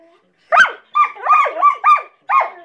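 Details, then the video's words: A pair of collies bark back and forth at each other, a burst of five quick, slightly strained barks closely bunched after a short silence, then one more bark at the end. "Collies barking"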